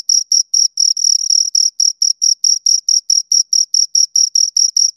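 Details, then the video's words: Two crickets chirping at close range, giving sharp high trilled pulses about four per second. Near the start the two calls briefly merge into a longer run, then settle back into an even beat. "Two Crickets Chirp Sounds for Two Hours Right on Your Ears"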